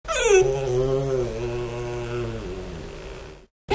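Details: A 3-month-old puppy whining while doing a jump attack: one long, smooth, tonal whine with clear harmonics, starting higher and slowly sliding downward over about three seconds, then breaking off.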